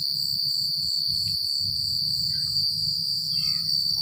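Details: Crickets at night in a remote rural spot: a dense, constant high trill with a rhythmic pulsing overtone, and a few faint short chirps from other callers. Low rumbling wind-like noise sits underneath.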